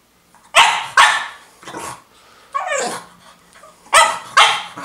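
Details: Female French Bulldog barking because she wants her toy: two sharp, high barks, a softer one, then a whiny rising and falling yelp, closing with two more loud barks in quick succession indoors.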